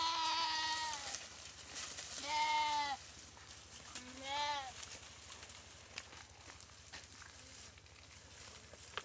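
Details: Goat attacked by a Komodo dragon in a dry riverbed at Komodo Village gives three wavering bleats in the first five seconds, the last one shorter and higher; afterwards only faint clicks and a low hum remain.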